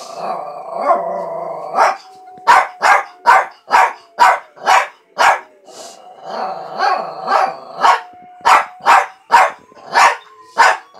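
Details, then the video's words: Oscar the dog opens with a short wavering howl, then breaks into quick, fairly steady barks, about two per second, while a thin sustained tone runs beneath them. "Oscar tried to howl."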